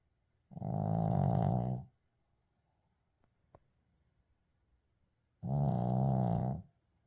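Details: Sleeping Shih Tzu snoring indoors, unedited: two long, low, rumbling snores about five seconds apart, each lasting over a second, with quiet breathing gaps between.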